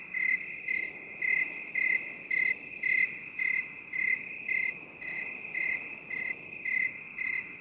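A cricket gives steady, high, ringing chirps, about two each second, with no pauses.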